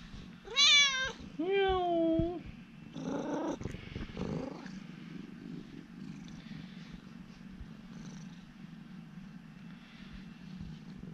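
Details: Urara, a friendly former rescue cat, talking with her owner: two loud, wavering meows, then shorter chirping calls and a thump, followed by a long, low, continuous purr.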